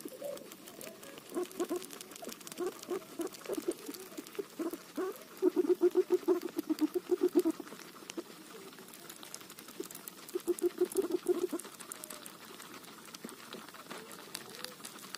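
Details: Guinea pig at its roti: soft scattered pulses early on, then two clear bouts of rapid, evenly spaced low chuttering notes, each about two seconds long, amid a steady patter of chewing clicks.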